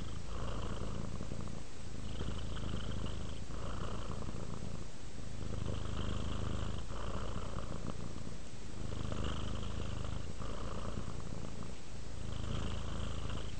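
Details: Domestic cat purring while relaxing, a steady low rumbling purr that swells and eases in slow breath-paced cycles, with soft raspy overtones recurring every couple of seconds.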